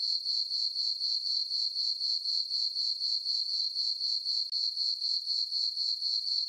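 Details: High-pitched cricket chirping from a meadow on a farm under a full moon on a summer night, pulsing rhythmically about four times per second as a constant shimmering ring, with one brief dip.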